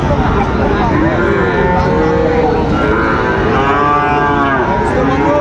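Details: Sahiwal bull calves at Raniganj cattle market, Dinajpur, on 8 August 2024; several overlapping drawn-out moos with wavering tone over constant crowd chatter and market bustle.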